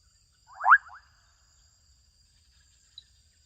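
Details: Adolescent frogs calling in a Kenyan wetland: a single short, pulsed croak of rapid clicks lasting about half a second, then near silence with one faint tick and a steady high hiss in the background.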